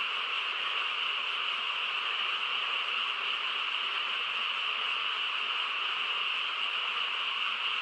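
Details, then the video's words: Massed frogs fill a calm countryside night with an uninterrupted chorus, a uniform trilling wash where separate calls merge into one sustained sound. "고요한 시골 밤에 개구리 합창 소리"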